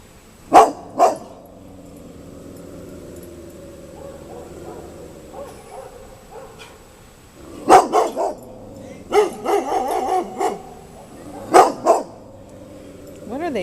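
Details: Several pet dogs barking in alarm at a scary thing, guarding their family: two sharp barks, a quieter pause with low rumbling, then bursts of rapid barks near eight and ten seconds and a final pair of barks.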